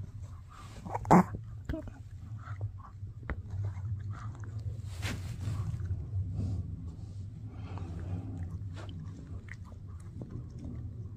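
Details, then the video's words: Mikki the Shih Tzu puppy works on a no-hide bully stick, giving scattered soft crunches and licking smacks over a steady low indoor hum, with one loud sharp knock early on and faint murmuring voices. "Shih Tzu Chewing on a Bully Stick"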